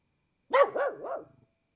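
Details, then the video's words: Pit Bull barking: a quick run of three arched, yelping barks packed into under a second, the first loudest and the next two softer, against an otherwise silent background. "Pit Bull Barking 🐕 Pit Bull Sound Effect 🐶 Pit Bull Barks"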